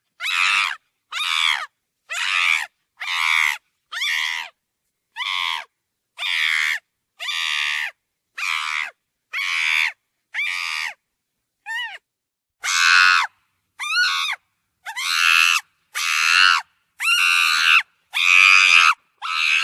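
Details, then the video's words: Monkey giving a long series of harsh, shrill, harmonic screams, about twenty short bursts in quick succession. Some bursts bend sharply in pitch and the last ones grow louder. No other sounds are heard. "MAYMUN SESİ - GERÇEK SES"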